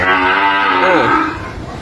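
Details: Sahiwal calf at a home in Ghoshpara, Kushtia, born to a local desi cow bred with government bull semen: a loud, drawn-out nasal moo with rich harmonics, bending up and down near the end before fading.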